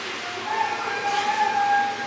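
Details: A seal named Zhiva at a seal quarantine centre gives a steady, drawn-out moaning call that holds one pitch with a slight waver.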